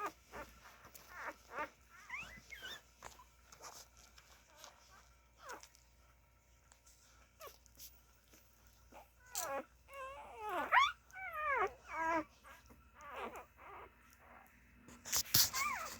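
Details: Nursing Siberian Husky puppies give high, thin whimpers and squeaky whines that bend up and down in pitch.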